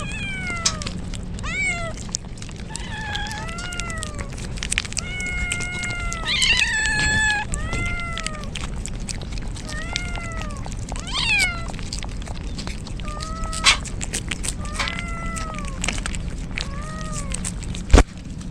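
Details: Stray kittens soaked in rain as a typhoon approaches, crying outdoors in Japan; repeated short arched meows, several overlapping, with steady rain hiss and drips throughout.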